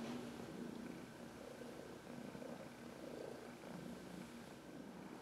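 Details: Older adopted female house cat purring as she rubs herself on someone's knuckles for a massage; even, low rumbling purr with gentle pulsing rhythm and faint background hum.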